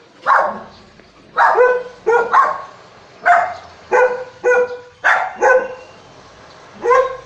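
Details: Four dogs keep watch over the house in the owner's absence, barking at footsteps; a Shih Tzu and a Golden are in the group. Sharp single and doubled barks come roughly every second, with short gaps.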